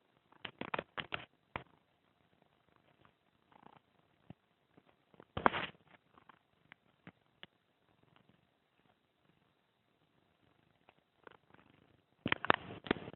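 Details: Jake, a Boston Terrier, snoring in his sleep, almost as loudly as a person: rough, raspy bursts of breath come in irregular clusters near the start, middle and end, with quiet stretches between.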